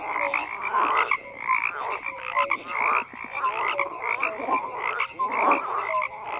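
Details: Croaking frogs in a busy chorus, with rough rattling calls and brief tonal notes overlapping, swelling and dipping in waves every second or two.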